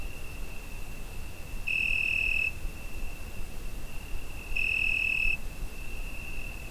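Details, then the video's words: Cricket on a summer night, recorded with a Zoom H5: a steady high, pure ringing trill with two louder, brighter swells lasting under a second each, about three seconds apart, over faint low background hiss. "Summer Night Cricket Sound Effect"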